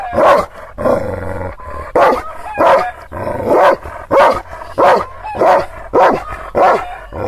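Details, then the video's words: Kangal shepherd dog, Aksaray region of Anatolia, guarding against strangers; aggressive barks come fast, about every half to two-thirds of a second, harsh and rasping, with a low hum briefly under the opening barks. "Kangal çoban köpeği Aksaray malaklisi Anadolu aslanı vahşi hırçın kızgın köpek havlaması urmesi sesi"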